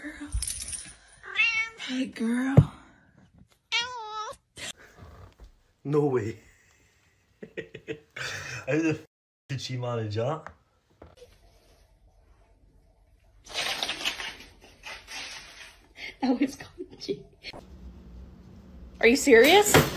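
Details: Pet cats in a humorous compilation making a string of wavering, yowling meows in quick bursts, mixed with human speech, laughter and scattered thumps, with quiet gaps between the outbursts.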